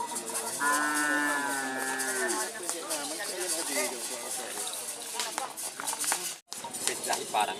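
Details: Madura cattle at a Karapan Sapi bull-racing practice at the Asemanis field, Pamekasan, Madura, East Java, Indonesia, where a collision occurred; one drawn-out moo with steady harmonics lasts about two seconds over constant crowd chatter and shouting.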